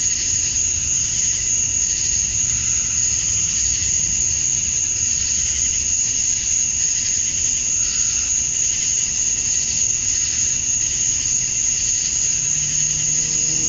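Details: Male cicadas singing to attract females at summer dusk in Georgia, USA: a dense, unbroken high shrill tone holds steady throughout, over a broad hissing wash, with a faint low rumble beneath.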